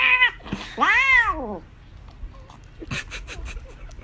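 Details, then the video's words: Cat screaming for chocolate inside a small room: a brief cry, then an arched, strained meow rising and falling over under a second, followed by soft rustling and faint background voices. "Screaming cute 🐈 cat"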